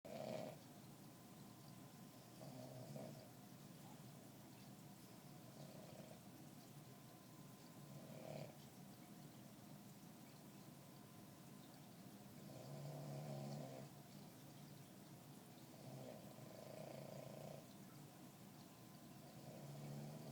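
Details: Cosmo, a puppy, napping and snoring softly: faint rasping breaths swell in regular cycles every few seconds against a steady low room hum, quiet and even throughout.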